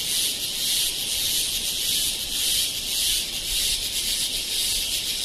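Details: A cicada in Kodaikanal or Thekkady, India, in 2014 produces an intense, shrill, steady buzz with a faint pulsing texture. The high, hissing drone fills the air and drowns out everything else.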